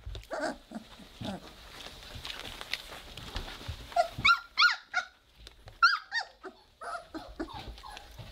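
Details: Three-week-old Weimaraner puppies playing together indoors and just beginning to growl: squeaky, harmonic little growl-yips come in quick bursts of about three per second, rising then falling, with quieter rustling between.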